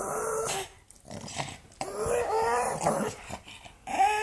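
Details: An angry pug growling indoors, uneven voiced growls and grumbles in bursts of varying length, some rising at the end, broken by brief quiet gaps.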